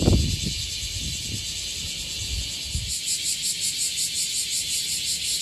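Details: Bear cicadas gathered on a tree in Okinawa fill the air with a loud, harsh, high buzzing that pulses rapidly in a steady rhythm.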